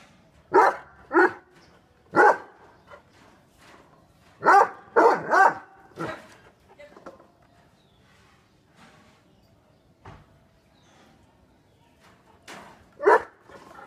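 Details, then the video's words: Two angry dogs, a Great Dane and a Rottweiler, bark in irregular bursts of one to three harsh barks, with a long quieter gap in the middle and a final bark near the end. "Angry dogs barking"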